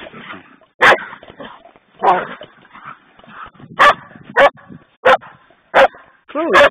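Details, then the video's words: Poodles at play, giving short sharp barks repeated roughly every half second to second, with a brief whining yelp at the end and soft human voices between barks. "playing poodles"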